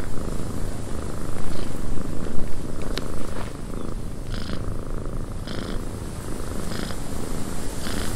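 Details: Low, continuous purring of a domestic cat in a windy cabin, louder at first then settling, with regular brief breathy bursts and a single sharp click amid the wind.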